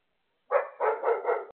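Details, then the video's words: Female dog barking at falling snowflakes during her first snow, sitting and looking up at the sky; one sharp bark followed by a rougher, doubled bark in quick succession, with no other sounds. "Dog barking at snow flakes."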